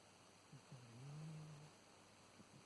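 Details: Black-and-white domestic cat with kidney failure, sleeping deeply, snoring: one quiet, low, steady droning breath that swells and fades over about a second, with faint soft clicks before and after and a near-silent room.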